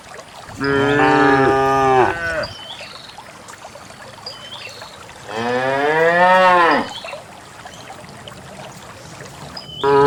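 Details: Cows in a herd of dozens descending a green hill into a valley moo in long, full-throated bellows, each rising then falling over about two seconds, with a third starting at the end over low hiss.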